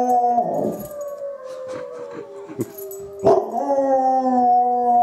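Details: Izzie, a dog answering wolves, gives loud mournful howls that start high and slide downward, joined by overlapping voices, with short breaks and a renewed high, steady howl in the final seconds.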